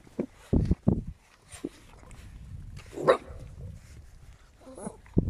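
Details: Scarlett's eight-week-old puppies letting out short, low, gruff barks in a quick cluster, then single yaps spaced apart, with soft shuffling noise between them.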